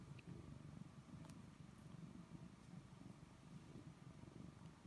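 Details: Domestic cat purring steadily while being petted indoors: a continuous low, rumbling, finely pulsed purr with no pauses and a faint click or two in the background.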